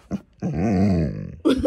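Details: Siberian husky growling indoors: one sustained, voiced, wavering groan lasting about a second, pitch gently rising then falling. Brief human speech comes just before and right after it.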